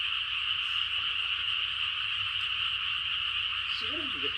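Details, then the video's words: Frog chorus late at night in the countryside, a dense unbroken high trilling wall of many callers holding steady throughout, with a brief faint lower voice near the end. "시골에서 심야에 들리는 개구리들의 합창"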